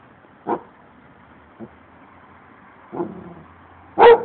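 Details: Abruzzese sheepdog barking at strangers to defend its owner: four short, harsh barks spaced irregularly, a faint one near the second and the loudest at the end, over a quiet background.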